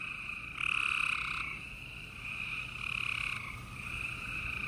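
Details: Gray treefrogs calling at night in Houston, Texas, 28 April 2020. Two louder rasping trills of nearly a second each stand out over continuous softer trilling from other frogs, with a faint high hiss in the background.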